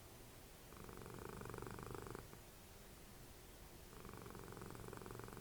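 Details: Indoor cat Dessie, Fritjof's mother, snoring as she cuddles during TV time. Long, buzzy, vibrating rumbles of about one and a half seconds rise and fade with each breath, with a softer gap between them.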